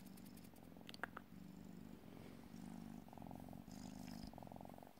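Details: Burmilla and Asian kittens, vaccinated and GCCF-registered, being shown while looking for homes; a steady low rumbling purr runs through the whole stretch in uneven bursts, with brief soft clicks and rustles near the second mark.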